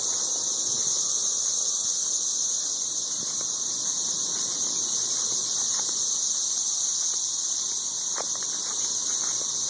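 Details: Dense chorus of 13-year periodical cicadas up in the trees in Nashville, Tennessee, many insects mating among scattered shells: an unbroken, very loud, high shrill hiss that holds steady throughout, with faint rustling underneath.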